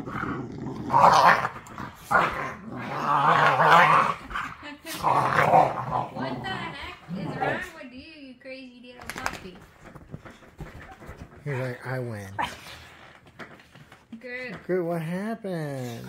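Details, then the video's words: American Pit Bull Terrier puppy play-wrestling with an older rescue pit bull; loud ragged growls and snarls in the first seven seconds, followed by a person talking and laughing over softer dog noises. "Pit Bull Puppies wrestling: Epic Growling & Snarling"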